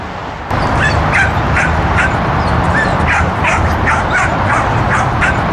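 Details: Bailey, a whippet on his last run at a sheep herding class on 10/30/13, not keen on herding, yelps in rapid high-pitched bursts, about four a second, over a constant loud wind-like rumble.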